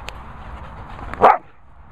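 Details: Lurcher Tommy Tucker, learning to come back to the whistle, lets out one abrupt, loud bark after a low murmur of background noise and faint praise from his handler.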